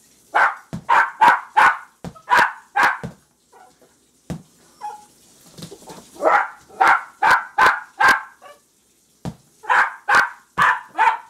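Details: Jack Russell Terrier puppies frantic over a ball, letting out rapid strings of shrill yips, four or five in a row, a quiet pause with faint whines, then more fast barking volleys.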